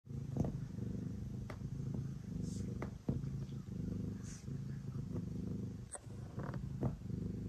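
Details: Ace, a pet cat, purring steadily while kneading before bedtime; a low, continuous rumbling drone with rhythmic pulses, broken by a few soft clicks and brief rustles.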